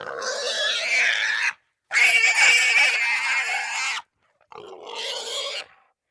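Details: Wild boar (Sus scrofa) gives long, harsh, noisy squeals in three bursts separated by brief pauses.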